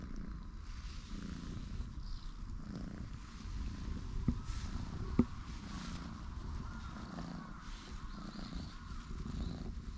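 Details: Two orange tabby brothers, light and dark coated, lounge and stretch on a bench while a low, rhythmic purr rises and falls roughly every second, with faint rustles and a couple of sharp taps.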